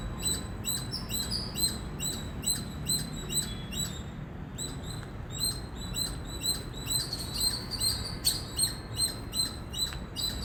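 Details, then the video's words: Repeated shrill chips from an Indian squirrel come about two to three per second in a steady, insistent series. After a brief pause near four seconds the calling resumes, louder toward the end, against a faint background rumble. "Loud Squirrel Chirping Sound"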